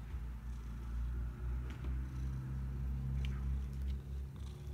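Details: Domestic cat purring: a deep, continuous rumble that swells and fades in slow regular waves, with only faint light clicks above it.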